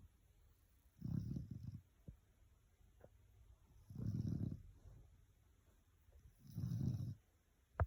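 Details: Boerboel puppy snoring: three low, rough, rumbling breaths, each lasting about a second and coming roughly every three seconds, with quiet pauses between and a faint click at the end.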